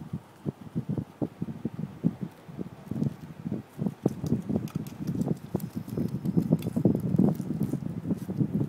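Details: Guinea pig named Bebe eating fresh grass: rapid, irregular crunching chews, several per second, with louder bursts toward the end and no other clear sounds.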